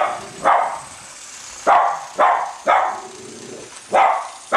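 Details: Cavalier King Charles Spaniel, one of the pair Colby and Shelby, chasing a toy train around a Christmas tree; four or five spaced single barks about a second apart over a constant hiss from the running train.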